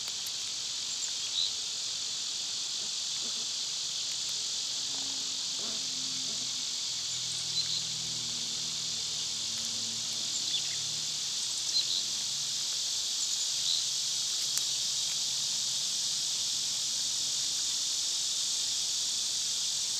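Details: Cicadas singing loudly in summer, forming a steady, high, hissing drone that never breaks across the whole stretch, with faint low rumbling and a few soft ticks underneath.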